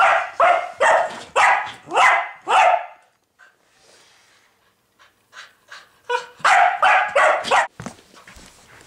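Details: Dog barking persistently at a pig for more than an hour. About six rapid, harsh barks, then a pause with faint shuffling and a few soft yips, then another quick run of loud barks.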